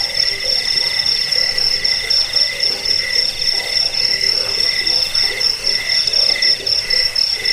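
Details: Many crickets sounding at once for chasing off rats, bedtime listening and bird training; an unbroken piercing buzz with fast stuttering pulses and a muted low pulsing layer beneath.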